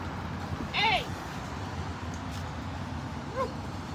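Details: Siberian Huskies playing and swimming at a lake in a Colorado dog park during a road trip; two short arched yelping cries, a bright sharp one near the start and a softer one about two and a half seconds later, over a steady low rumble.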